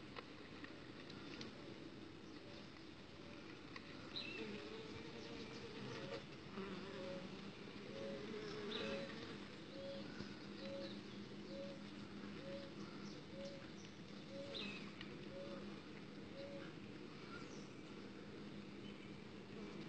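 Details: Uruçu stingless bees outside the hive while a queen is mated, a dense low insect buzz with a steady hum and a run of short regular pulses repeating about every second, faint chirps above.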